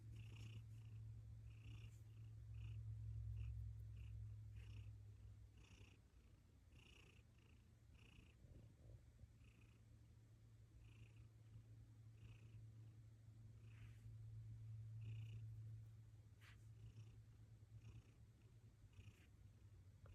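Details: A domestic cat purring steadily throughout, a continuous low rumble with soft swells in loudness, accompanied by faint regular ticking sounds.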